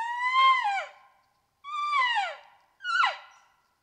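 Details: Big bull elk during the peak rut at night on a mountainside, near a well-known wallow: three loud whistled calls, each under a second, rich in harmonics, sliding down in pitch, with silent gaps between them.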